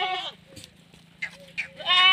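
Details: Female Sirohi goat on a Rajasthan goat farm, India, with a short nasal bleat at the start and a louder rising bleat at the end, soft clicks and a low hum in between.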